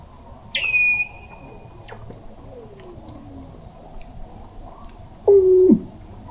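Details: Underwater Weddell seal vocalizations beneath sea ice, McMurdo Sound, Antarctica, November 2017, from a seafloor observatory 21 m down: a loud whistle plunging from very high into a long steady tone, then a low stepped descending tone, with fainter sweeping calls between.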